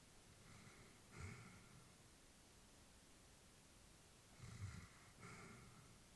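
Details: Sleeping elderly Labrador bitch indoors, two soft snorting breaths separated by several seconds of quiet, then another breath near the end, gentle and low against faint room noise.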